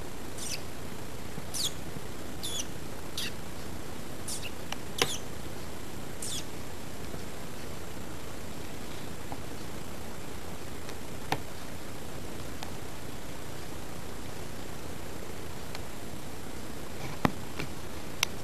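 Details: Guinea pigs Lizzy and Roosje, one albino, kept as pets, utter a quick run of thin high squeaks early on, then several faint clicks and taps over a constant low-frequency background hum.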